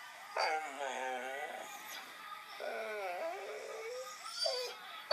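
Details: A male dog indoors, crying and barking to get his owner out of bed, reacts to hearing the recording of himself; long wavering, arching whines rise and fall, in three drawn-out bouts.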